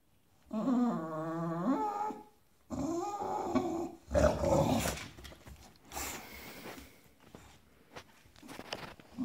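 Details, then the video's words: Bulldog indoors growling in anger after another dog took its bed: a long harmonic whining growl with wavering pitch, a second rising growl, then rougher snorting growls and scuffling. "Son lit volé, ce bulldog pique une colère"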